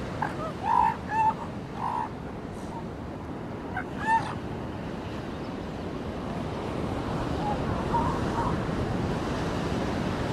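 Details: Seal pups on a beach: a burst of short, harsh bleating calls in the first two seconds, another pair around four seconds, then fainter calls near eight seconds, over steady surf and waves.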